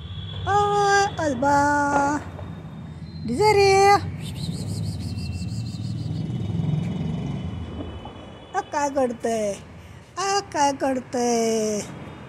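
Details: Two house cats named Desiree and Alba, unsettled by Diwali crackers, call in short repeated meows. A quick pair opens, one higher cry follows, then a low rumble and a burst of several falling meows close the sequence.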